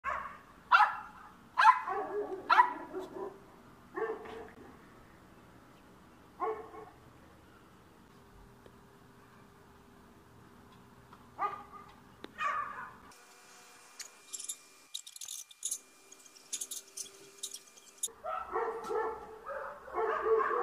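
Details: A dog in Bulgaria trying to chase a cat out of a yard barks in loud, rapid bursts, then falls mostly quiet with a few single barks, a stretch of clattering noises, and a fresh burst of barking at the end.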